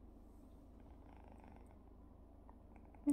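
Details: Soft, steady low purring from a British Shorthair cat as a kitten bothers a sleeping cat indoors, a continuous rumbling texture with a brief sharp sound at the very end.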